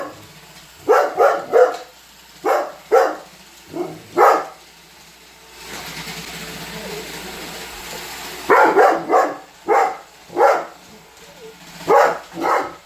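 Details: Weimaraner named Holder barking throughout a Roomba robot vacuum's run. Quick clusters of loud, punchy barks open and close the stretch, with a lull of vacuum whirring and faint voices between them.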